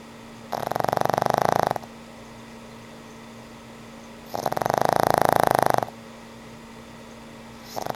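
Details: Elderly pug named Frank N. Stein snoring in his sleep, giving rhythmic pulsed rasping snores roughly every four seconds, each about a second long, a third one starting at the end; a faint constant hum underneath.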